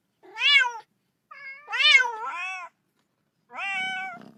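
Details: Little kitten playing with a ball, meowing because it wants to play too: three bright harmonic meows, the first short and rising-falling, the second longer with a wavering tail, the last a steady drawn-out mew, quiet room.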